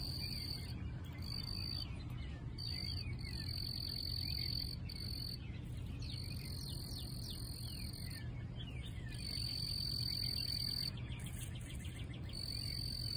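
Several crickets keep up high, thin chirping in rapid pulses, with bursts starting and stopping in overlapping rhythm. A steady low hum runs underneath the insect chorus.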